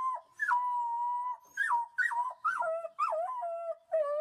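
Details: Wolf pups howling: a series of short, high, clear wails that break and drop in pitch, each followed by a steadier held tone, with brief silent gaps between bursts.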